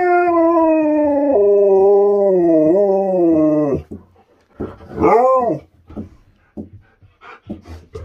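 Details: Husky pals vocalising together: a long harmonic howl sliding slowly downward with wavering steps for nearly four seconds, then short arched yips and whiny barks rising and falling in quick bursts.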